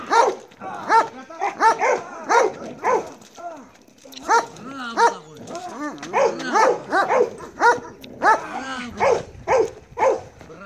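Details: Marley the Belgian Malinois barks repeatedly in bite work training, sharp barks spaced by brief gaps, with a handler's voice faintly heard between them.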